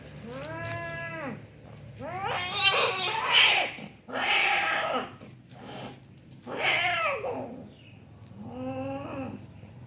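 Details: Domestic cats fighting, likely over territory: loud harmonic yowls and caterwauls in several bursts, some rising then falling, with harsh noisy screeches between them and quieter gaps of low background hum.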